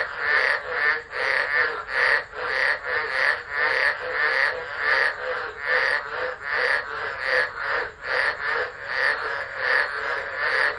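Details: Tropical frogs calling en masse during a storm at Driver, Northern Territory, Australia, December 2013, phone recording; loud repeated pulses of rasping croaks at an even beat, with sharp higher notes sparkling above the dense chorus.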